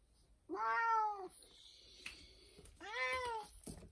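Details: Elderly, sick 19-year-old domestic cat, a former stray, crying indoors for help when unable to urinate: two drawn-out, harmonic-rich meows, each rising then gently falling, about two seconds apart, with faint room noise between them.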